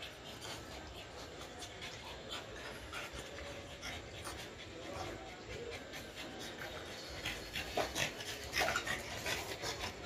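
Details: Pet French Bulldog in the Philippines panting after playtime, soft breathy puffs repeating a little faster than once a second, with light rustling and a few sharp clicks toward the end.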